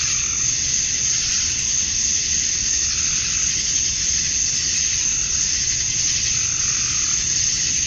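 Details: Cicadas at dusk in Georgia, USA, the males chirping to attract females on a summer night: a loud, high, rasping drone pulsing in slow waves roughly every two to three seconds.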